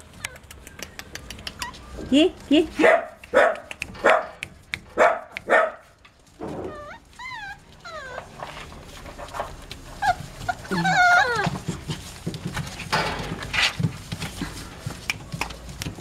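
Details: A litter of Dachshund puppies born 5 February 2013 at an Itapetininga, São Paulo kennel yaps in a rapid run of about eight sharp yips, followed by wavering squeaky whines and later scattered cries, with people talking nearby.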